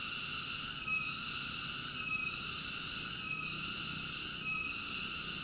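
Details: A cicada's unbroken high, buzzy drone, pulsing with four brief softenings spaced a little over a second apart; background otherwise quiet.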